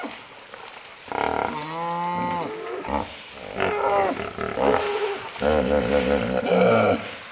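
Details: Trumpeting hippos in a crowded pool, the calls echoing around: loud harmonic honks and wavering, musical bellows that follow one another almost without a break, rising and falling in pitch through the clip.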